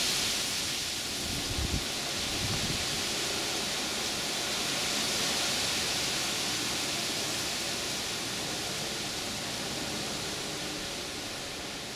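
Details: Steady wind noise hisses throughout on a windy night in a suburban garden, with a few low thumps early on and no animal calls.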